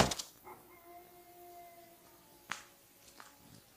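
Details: Several wolves howling together at an Idaho wolf sanctuary, holding steady drawn-out tones in a layered chorus, opened by a loud rustle and crossed by a sharp knock midway.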